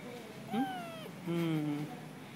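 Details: Stray kitten at a residential block, protesting at being filmed: one high, tonal meow that slides downward for about half a second, followed by a lower, steadier drawn-out tone, with quiet room background.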